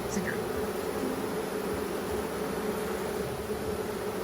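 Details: Honeybees around an opened hive while the beekeeper searches for the queen: an even, unbroken low hum throughout, with a faint clink at the start.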